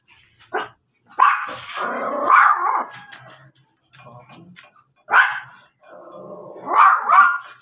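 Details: Rare blue-coloured Miniature Pinscher in Pangasinan barking: a long, strained bark stretching over about two seconds, a short sharp bark after a pause, then a final rising, yelping bark, with quiet gaps between.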